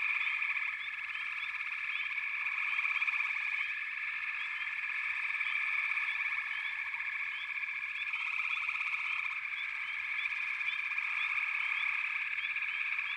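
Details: Frog chorus: a dense, unbroken wall of pulsed trilling with many short rising chirps scattered over it, swelling slightly around the third and eighth seconds and then holding steady.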